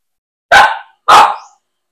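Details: Two loud, harsh barks about half a second apart from a pet Aspin, the Philippine native dog, during bath time. Each bark is broad and rough, with a quick fade. Nothing else is heard.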